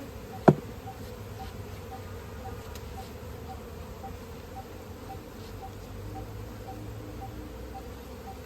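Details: Honey bees at a village site in India where natural honey is being collected, giving a steady low droning hum that holds evenly throughout, with one sharp click near the start.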